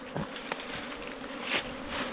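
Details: Wild cavity-nesting bees in a nest within a four-metre bamboo stalk give a continuous buzzing drone, broken by a few knocks and taps.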